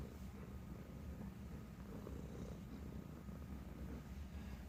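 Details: Young male Bengal cat, a rescued stray just over a year old, purring indoors while playing fetch, a game of interaction with people that he loves. A low, steady, continuous rumbling purr fills the moment over faint background hum.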